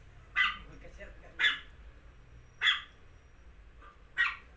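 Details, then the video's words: Dog giving four short, sharp yapping barks, spaced a little over a second apart, each one bright and clipped, over a faint steady low hum. "dog funny sound video"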